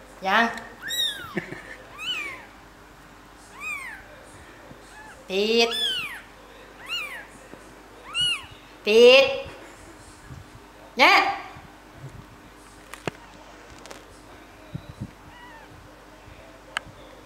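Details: Three-day-old kittens mewing: a run of about ten loud, high, arched cries, each swooping up and down, coming every one to two seconds, then fading into quiet with occasional faint clicks.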